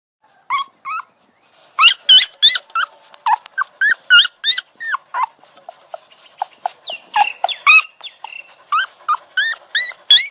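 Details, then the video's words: Puppy giving quick high whimpering yelps, each a short rising-then-falling whine with bright overtones, coming in dense bursts of about three per second with brief pauses between runs. "Cute Puppy Sound Effect"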